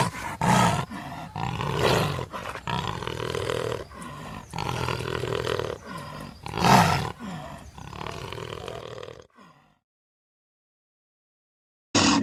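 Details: Repeated roaring from a lion: a run of short, hoarse, deep roars and grunts in quick succession, one louder peak near the middle, then silence before a final abrupt burst.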